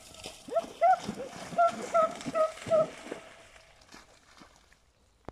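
An English Springer Spaniel gives a run of short, high, tonal whines in quick succession.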